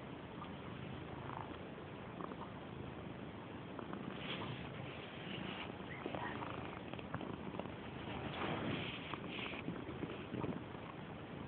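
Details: Loud continuous purring from Purdy, a female house cat who rubs insistently against people; the rumble stays low and even, with a few soft rustles and scratchy noises over it.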